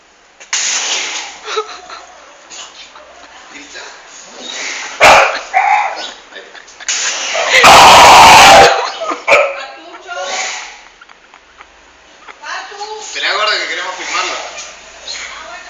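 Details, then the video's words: Dog gone wild with excitement over water while its owner washes a car; high excited yips and whining cries mixed with talking, and a loud burst of spraying water partway through. "Crazy dog who loves water (funny noises)"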